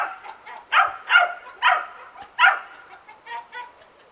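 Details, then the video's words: In a suburban backyard, a young dachshund barks constantly: a handful of loud, clipped barks with softer yips and grumbly tails between them, fading into quieter barks at the close. "Constant Dog Barking Sound Effect | Realistic Backyard Ambience"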